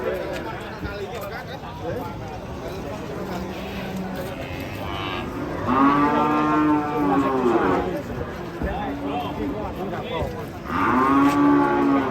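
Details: An angry cow bellows while being unloaded from a truck after attacking people: long, loud harmonic moos near 6 and 11 seconds, with excited human voices and crowd noise throughout.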